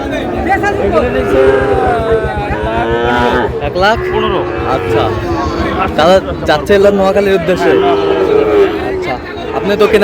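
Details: Cattle market with Sahiwal bull calves, bought by a farmer from Noakhali on 16 August: several sustained, wavering moos rise above dense human bargaining talk, with sharp clatters and knocks in the middle.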